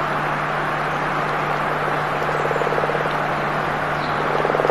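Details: Frog in a fight, giving short, rapid, low pulsed trills in two bursts, one mid-clip and one at the end, over a dense, steady wash of broadband hiss.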